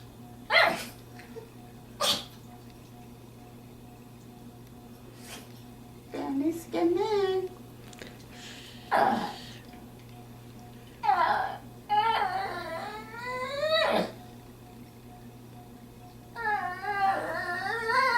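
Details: Pet dog visiting a friend's home, vocalizing to her owner that she wants to go home: scattered sharp sneezy snorts, then wavering, rising and falling whines and groans in bursts that sound almost like human talk.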